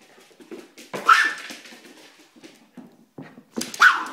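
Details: Airedale Terrier puppy and a Silky (Yorkshire) Terrier together, one of them growling: low rumbling growls throughout, broken by two sharp, loud yelping barks about three seconds apart.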